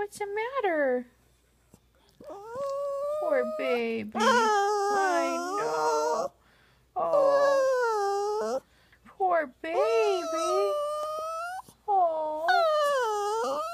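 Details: Crying, 'talking' poodle called Buddha, inside a small room, gives a run of wavering, whiny cries that rise and fall in pitch, broken by short pauses, with a woman's soothing voice mixed in.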